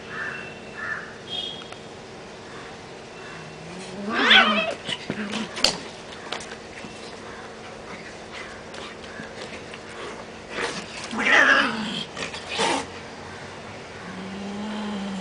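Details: Cats in a fight trade loud rising yowls with bright harsh overtones near four and eleven seconds, separated by quieter growls, with a low steady moaning wail closing the stretch.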